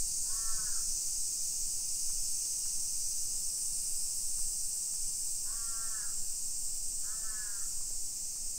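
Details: Cicadas sing a level, hissing summer chorus over streets in suburban Nisshin, about 20 km from downtown Nagoya, Japan, at 1 PM on 28 July 2021, with three rough crow caws, one early and two close together near the end.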